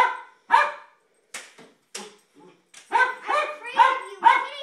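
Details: Jack Russell terrier excited by kids' light saber swords, giving sharp barks that build into a fast run of loud, harmonic barks at the end, with softer clicks and noises between.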